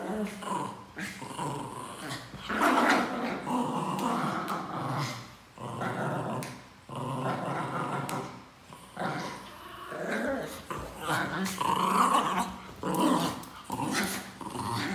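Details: A small male Pinscher, seemingly guarding something a person says they'll take, growls in long rumbling bursts broken by sharper yapping notes.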